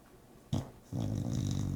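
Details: Bulldog asleep indoors: a short snorting intake, a pause, then a loud, low rattling snore that buzzes steadily to the end.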